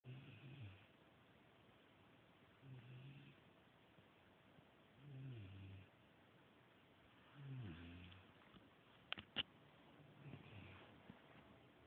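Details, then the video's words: Carmella, a pet dog, asleep and snoring: low, rough, rumbling snores repeated about every two and a half seconds, five in all, with two sharp clicks near the end. "carmella snoring"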